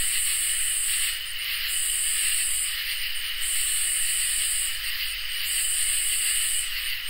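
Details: Crickets and katydids in a summer night chorus: a steady high shrill drone, with a higher buzzy band that pulses on and off in bursts about a second long, over a faint low rumble.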